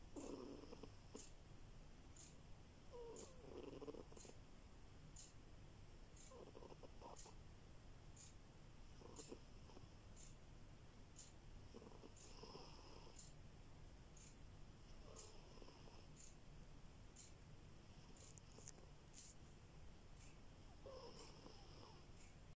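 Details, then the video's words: Soft, rasping snores from a sleeping house cat come in a slow, regular rhythm, a rattling breath every few seconds; a low hum and a faint, evenly spaced high ticking continue underneath. "Кот храпит!!!"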